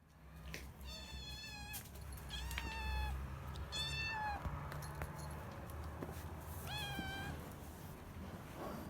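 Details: Two three-month-old rescued kittens, a brown male and a grey female, meowing loudly from inside their cage in the morning to be let out; several harmonic, slightly rising-then-falling meows, one every second or two, with faint room noise.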